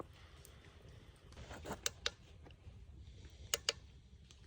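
Indoor clicks and taps over a low hum, with no animal voice.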